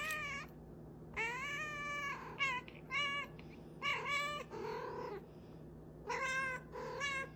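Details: Domestic cat meowing repeatedly indoors, a series of harmonic, slightly rising then falling meows roughly every second, some drawn out, with a steady low hum in the background.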